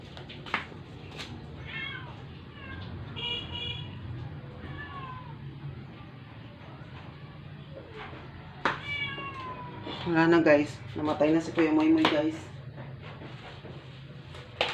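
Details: Dying rescued stray cat, kept indoors, that had not eaten for 12 days and deteriorated after an injection at the vet, utters repeated strained meows, scattered at first, then a loud, rapid run of wavering harmonic cries, over a steady background hum.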